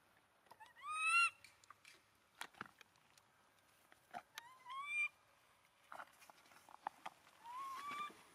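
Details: Crying monkey, abandoned, hugging the feet of its owner, giving three short, tonal, rising-and-falling whimpers a few seconds apart, interspersed with sharp clicks and handling noises.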